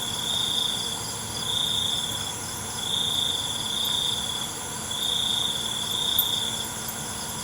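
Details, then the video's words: Night crickets give bright, high trilled pulses roughly once a second, layered over a continuous thin, high-pitched chorus of other insects. "ALUNAN CENGKERIK MALAM"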